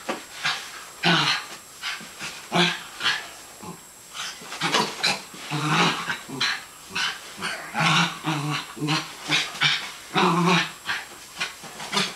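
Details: Zoey, a West Highland White Terrier, growls during play in a run of short, rough, grumbling bursts repeated about every half second, with a low buzzy undertone.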